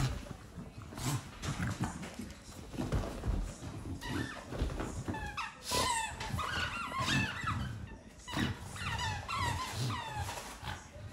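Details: Excited bulldog indoors with a new toy, growling and grunting in rough bursts, with snorty breaths and a few short whining, squeaky rises near the middle, all in a small room.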